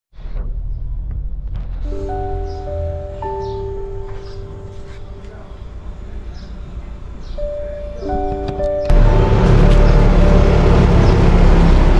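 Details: Gentle melodic music with sustained tones over a rumbling outdoor background that turns into louder broadband noise near the end.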